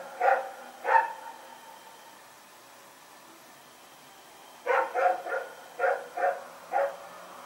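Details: Night recording from 21 September 2018 of Rex the dog running around: two separate barks early, a pause of several seconds, then a quicker run of six short barks.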